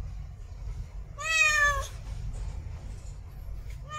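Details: A single sustained, nasal meow from a female cat in heat calling to mate, held for over half a second, with the start of another meow cut off at the end and faint low hum throughout.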